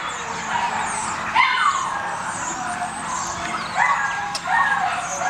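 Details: Litter of tri-colour Beagle puppies, kennel-raised family pets: high, thin squeaking whimpers that sweep up and down in short bursts near the start, middle and end, over a constant hissing background noise.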